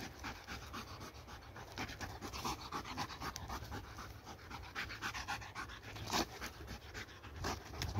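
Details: Dog panting hard while playing with a laser pointer: fast, breathy huffs repeated steadily, several per second, with faint background hiss throughout.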